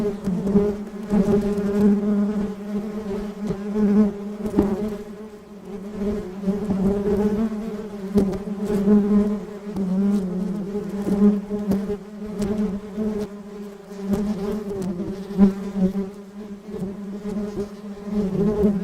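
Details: Honey bees collecting pollen in Sri Lanka fill the air with a steady, low droning buzz that swells and fades as they pass.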